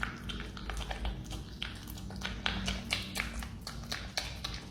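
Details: Chewing marmot eating banana: short bursts of moist crackling bites, irregular but rapid, with a soft background hum.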